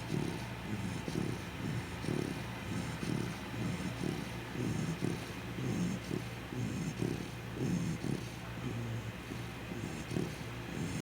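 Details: Sleeping Chow Chow snoring steadily, soft low rasping breaths repeating about once a second in an even rhythm, with a faint constant hiss in the background.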